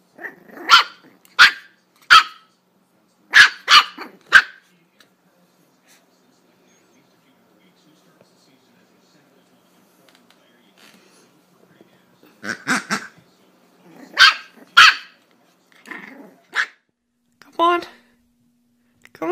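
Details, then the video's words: Scared pet dog barking indoors: a run of short sharp barks over about four seconds, a long pause, then a second burst of barks mixed with a person's voice calling the dog. "Coward Dog 😂 🐶 Funny Dogs Being Coward"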